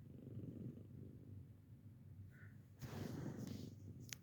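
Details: A 15-year-old senior female house cat purrs indoors during a home hearing check, a low, rapid, even rumble, with a louder burst near the end and a brief snap.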